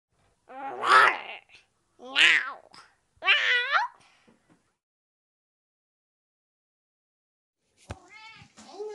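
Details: Cat reacting to gifts and treats after months apart from its owner: three loud drawn-out meows, each rising then falling, spaced about a second apart, then silence and faint, higher squeaky sounds near the end.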